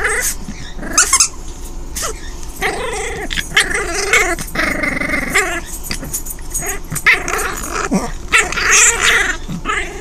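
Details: Delia, a five-week-old orphaned foster puppy, female, playing alone with her toys: drawn-out, buzzy rumbling growls with layered harmonics rise and fall over several seconds, broken by sharp clatters and clicks from the toys being chewed and tossed.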